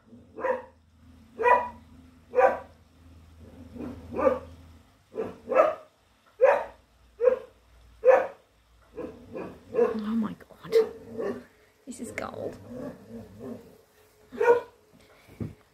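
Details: English Setter, a female out hunting, barks fiercely while standing her ground against a foe; a long run of some fifteen loud barks, mostly regular at first, then more ragged and overlapping with murmuring sounds.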